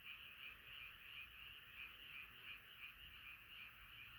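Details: A night chorus of frogs, many croakers calling at once, with the dense trill beating in pulses about three times a second over a steady background of other callers.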